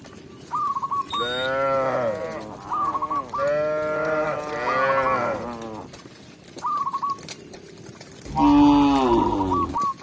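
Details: Tame cows led to the pen in a calm village setting; repeated long, deep moos rise and fall across the recording, separated by brief high chirping whistle bursts.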